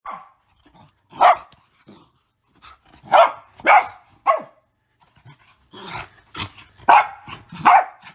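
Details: Female Mini Goldendoodle with the zoomies giving sassy barks, short sharp yaps in bursts of one or two with pauses, a quicker cluster of barks and grumbles near the end.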